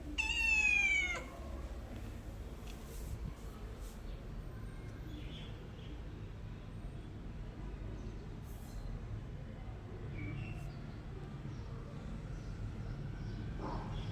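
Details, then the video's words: Domestic cat giving one loud, drawn-out meow with rich harmonics in the first second, then quiet low background hum and faint rustles for the rest. "my cat original sound and reaction"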